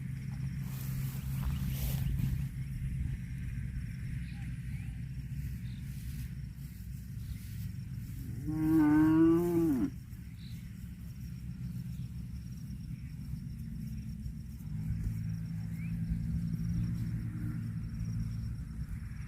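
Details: Cow eating grass gives one loud, harmonic moo lasting about a second and a half, rising slightly then dropping at the end, over a steady low rumble and faint outdoor background noise.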